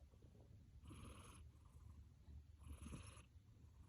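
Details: Achilles the cat deep asleep after playtime: two soft, airy snores with a hissing edge over a steady low rumble, quiet indoors.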